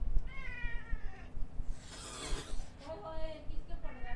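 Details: Ginger cat letting out a forceful, breathy hiss of about a second, framed by short wavering meow-like cries before and after, with a low rumble underneath.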